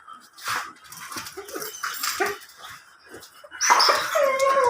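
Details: Belgian Malinois at a stud session in Binmaley gives several short, rough barks, then a high, drawn-out whimpering whine over a louder background of rustling noise.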